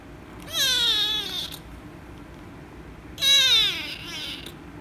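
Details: Loud meows from an angry rescue kitten being petted: a pair of drawn-out, bright, descending cries about two and a half seconds apart against faint background hum.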